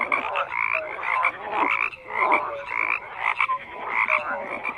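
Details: Dense frog chorus: rapid overlapping croaks rise and fall in loudness, punctuated by short high clear notes about once a second, the calling never pausing.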